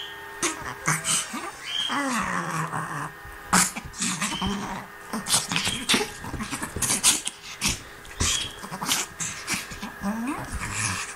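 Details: Sophie, a Hungarian Griffon Bruxellois, playing a game: low rumbling growls and grumbling play noises run throughout, broken by short nasal whimpers and sharp clicking knocks.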